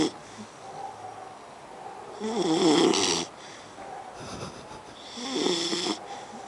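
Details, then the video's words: Tired beagle puppy asleep after a dog-a-thon, snoring in a quiet indoor room: two rough, rasping snores about three seconds apart, each lasting close to a second, with a low, throaty buzz under a breathy hiss. "Snoring Beagle Puppy"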